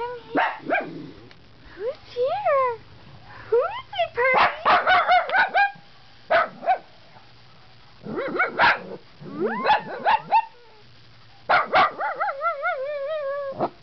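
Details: Female pet dog, trained to yodel, guarding her owner against puppies outside the house; drawn-out harmonic yodels that rise and fall in wavering bursts, with short pauses between them and a woman's voice talking in between.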